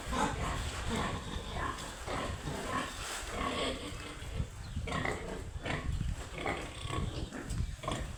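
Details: Young piglets giving repeated short grunts and brief squeals, heavy low rumble and handling noise underneath, calls overlapping in quick succession.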